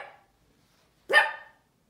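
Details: A Cavalier King Charles Spaniel puppy, not usually a barker, stares at nothing and gives a single sharp, mid-pitched bark after the tail of an earlier one.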